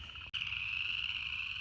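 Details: Upland chorus frogs call at night in North Georgia in December, during a warm spell after rain and the first big wave of amphibian breeding, forming a dense, steady chorus of high, rapidly pulsed trills that blur together.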